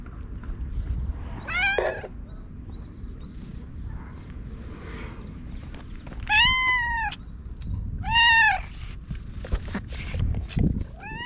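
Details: Stray ginger tabby cat meowing at a person after rubbing against them and being pampered with a cat grooming comb, filmed on a GoPro. Three loud, arched meows spaced a few seconds apart, with rustling and handling noise.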